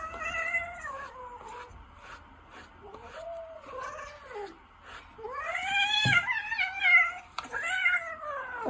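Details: A mild-natured Ragdoll cat meows repeatedly in drawn-out, wavering cries, some sliding down and others rising then falling, about six calls in quick succession in a quiet indoor room.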